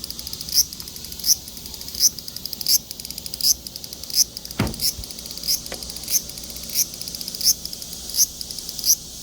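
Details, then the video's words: Large brown cicada calling: a high, hissing buzz with brief louder pulses about every three-quarters of a second, plus a faint low thud midway. "유지매미 울음소리"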